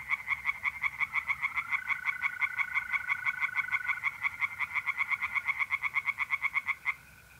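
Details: Tree frogs singing by night in a pond in north-east Italy in mid-April: rapid pulsed croaks repeated several times a second form a steady chorus, with a continuous high trill of mole crickets running beneath, stopping near the end.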